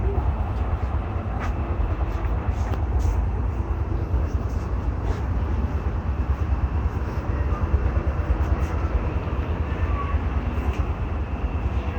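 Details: Heavy, steady low rumble like engines or machinery fills the whole stretch, with faint scattered clicks and voices and no animal call.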